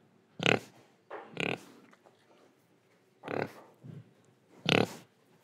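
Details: Indonesian pig making four loud, gruff oinks separated by pauses of about a second, plus one softer, deeper grunt, with quiet breathing in the gaps.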